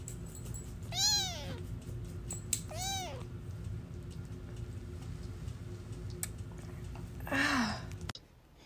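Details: Baby cat with two short, arched meows about two seconds apart, each rising then falling, over a low steady hum, with a brief rustling scrape near the end.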